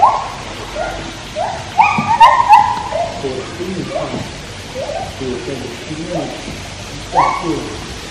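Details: Captive white-handed gibbons at Taipei Zoo give clear hooting song notes that rise and fall in quick succession, with a burst of louder wavering notes near the middle, over steady low background noise.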